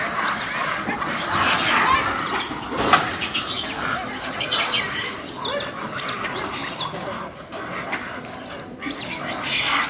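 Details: Monkey; fight screams; fighting between monkeys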